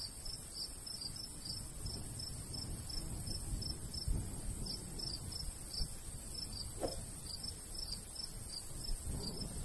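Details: Crickets in a golden wheat field in the summer countryside, giving short high chirps in loose, uneven runs of two or three through the whole stretch, over a steady high hiss and the low rumble of a light breeze.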